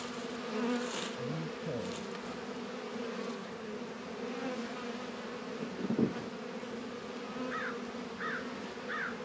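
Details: Honey bees working at an apiary hive on a 72-degree February day in northern Kentucky, Warre and Langstroth hives. A steady low droning hum runs throughout, with a thump near the middle and three short chirping calls near the end.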